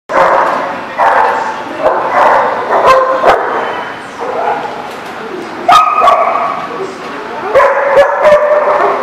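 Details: Dogs at a barking lot, recorded 29 January 2018: overlapping harmonic barks and yips in quick bursts throughout, some sharp and loud, with a busy background murmur.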